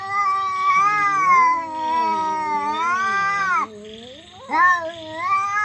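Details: Fighting cats give loud, strange drawn-out howls that waver up and down, one long yowl breaking off, a short quieter pause, then a sudden rising wail resumes.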